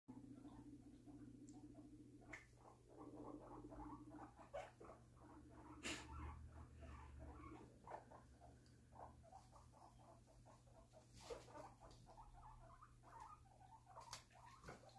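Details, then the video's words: Guinea pigs talking: soft, rapid, irregular squeaky chirps and short clicks running throughout, with a few sharper knocks, over a constant low electrical hum. "Guinea pigs talk"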